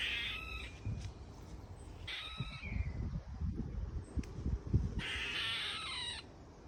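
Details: Harsh calls from a squirrel in a garden Ash tree: three hoarse, buzzy bursts spaced about two seconds apart, each roughly half a second to a second long, with low rustling and thumping between them.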